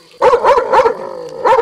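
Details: Tornjak dog giving four quick, ringing barks in close succession, then a short pause and one more bark. The barks are harmonic and mid-pitched, over a faint steady background tone.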